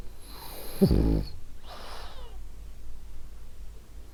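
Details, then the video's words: Female French Bulldog named Ariva asleep, one low rumbling snore on the in-breath followed by a softer airy exhale, then quiet breathing noise. "Cute Snoring French Bulldog"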